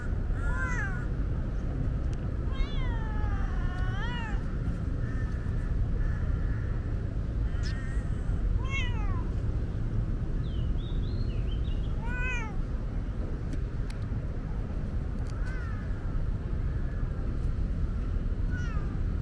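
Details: Chatty tabby cat, a female, asking for water on a hot day: a quick series of rising-and-falling meows, about eight in twenty seconds, loudest early on, with a steady low rumble throughout.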